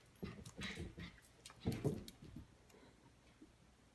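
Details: Miniature schnauzer playing against a stuffed schnauzer toy indoors; a few gruff, low grumbling growls and huffs come in the first two seconds, then fade to quiet room sound.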